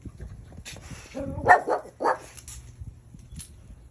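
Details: Pit Bull puppy in its first snow, which it did not like, giving two short, rough barks about half a second apart, with a person speaking faintly nearby.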